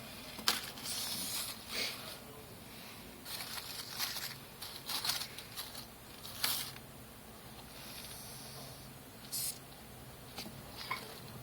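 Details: Madagascar hissing cockroaches hissing when disturbed, air forced out through spiracles; repeated broadband breathy hisses of about half a second each, bursting irregularly throughout, with quieter handling noise between.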